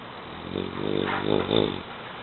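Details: Eight-month-old male French Bulldog Mu sleeping indoors, giving a run of short, pulsing, raspy snorts that swell and fade in quick succession, three or four bursts within two seconds.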